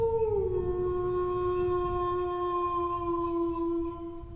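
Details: Single sustained dog howl, dipping slightly at the start, then held as an even, unbroken tone for the whole four seconds above a low rumbling background.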